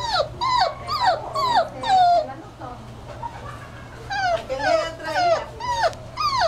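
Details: Puppy at five to six weeks old whimpering in a run of high, falling, whining cries with harmonics, several in quick succession, a short lull, then another burst of sliding whines.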